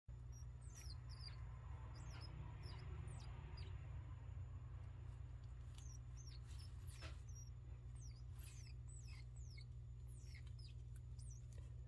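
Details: Two gerbils give thin, high-pitched squeaks in quick bursts while having their bellies rubbed, sounds of contentment.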